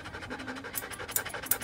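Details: Joe, a standard poodle being groomed at a salon in Paris's 8th arrondissement, pants in quick breathy bursts over a short stretch, with a faint steady low hum underneath.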